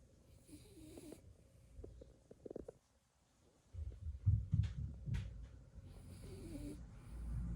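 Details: Napping blue Beagle puppy JoJo snores. After a near-silent pause, deep grumbling snores start and keep going, uneven and rasping, growing louder toward the end.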